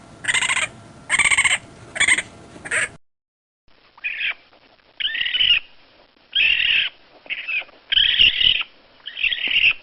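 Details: A raccoon vocalizing. Four rapid, bright, strongly harmonic squeals open the recording. After a short silence come rough, scratchy screeches of varying length, repeated irregularly about once a second.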